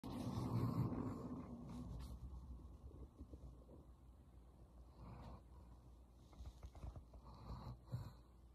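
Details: German Shepherd named Roxy snoring while asleep: a long, rough, low rumbling snore in the first two seconds, then softer raspy breaths around five and again near seven to eight seconds, in a quiet room.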